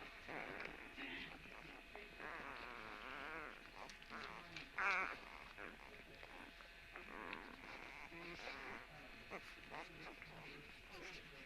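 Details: A litter of puppies, recorded March 17, gives wobbling whimpers and thin squeaks, with a sharp louder squeal near five seconds and quieter grumbling noises between cries.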